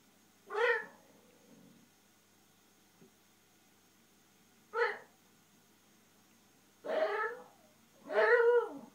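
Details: Male Japanese Shiba Inu indoors, frustrated because his ball sits behind the TV stand, utters four strained, harmonic, yodel-like whines: two short rising cries, then two longer wavering moaning calls close together near the end.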